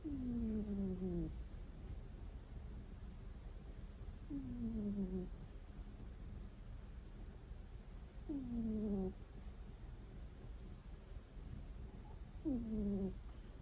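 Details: Pet cat snoring in its sleep indoors, a 'kuu... kuu' sound rarely heard from it. Four squeaky, nasal, falling tones with ringing overtones arrive about every four seconds, each roughly a second long, over quiet low household hum.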